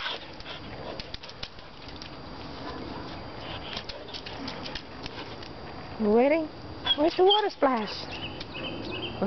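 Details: Jasmine, a one-year-old border collie mix, jumps at water splashing from a garden rain barrel. After a long stretch of splashing noise, short rising, whiny yelps come in a quick cluster near the end, with a person urging her on.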